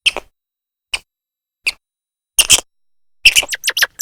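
A grey squirrel gives sharp, high chirps, first spaced singly, then in a quick burst.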